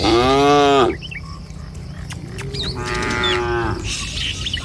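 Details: Tame cattle walking in a herd through a village in the morning; two long moos, the first loud and slightly falling, the second quieter and steady, separated by a pause with faint bird chirps.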